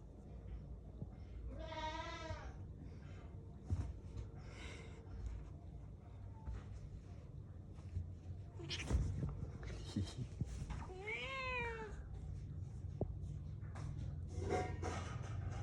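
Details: Angry cat giving several drawn-out, wavering cries with stacked harmonics, the clearest near two and eleven seconds, fainter ones between, over a low steady hum.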